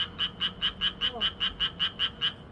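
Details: Frog song heard as a clean run of evenly spaced, sharp clicking croaks, about five per second, around a dozen in a row over faint background hiss.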